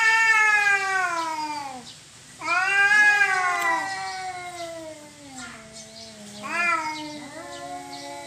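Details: Cats in a territorial fight: drawn-out moaning yowls sliding slowly downward, a short pause, then a louder rising-and-falling howl and a final rising wail.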